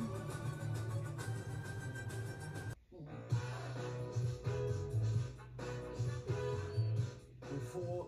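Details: Plucked guitar music with a steady low bass line, briefly cutting out near three seconds, with no animal voice heard.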